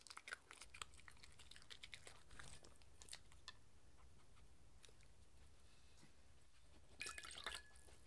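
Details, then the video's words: Mindy, a six-year-old Shetland Sheepdog, eating her daily dinner of beef grain-free kibble indoors; irregular crunchy bites and clicks through a quiet room, with a brighter clattering burst near the end. "Dog eating and drinking Sounds 🐶Crunchy Kibble"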